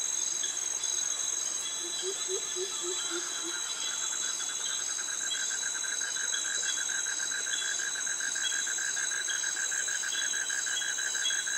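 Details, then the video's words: Jungle cicadas and crickets in Krabi, Thailand, along a forest walk past mangroves: a constant shrill high hum runs under a rapid, evenly pulsed mid-pitched trill, with a brief run of low, rising chirps early on. "Cicadas Virtual Walk Through Jungle - Krabi - Thailand with Cicadas and Crickets Sounds"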